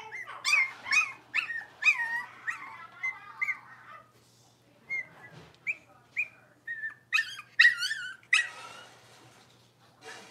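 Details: Blenheim Cavalier King Charles Spaniel puppies, a litter of five born around New Year's, playing indoors; rapid run of shrill yelping whimpers, a quieter lull of short squeaks, then loud piercing yips again.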